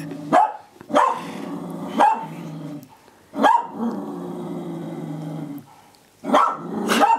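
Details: Indoor cocker spaniel barking at her own mirror image as if at an imposter; five or six punchy barks, some spaced about a second apart, with a soft musical drone between them.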